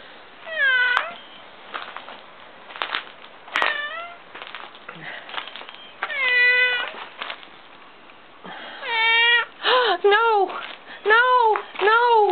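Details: A kitten found outside, first feared injured, gives loud harmonic meows, some rising then falling, in bursts, with a rapid series of short arched cries near the end; a man talks in between.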